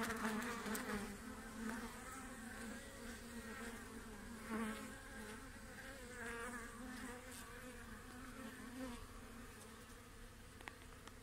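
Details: A dense, steady hum of many honey bees on a hive frame holding their queen during a hive inspection, a low droning buzz with wavering overtones.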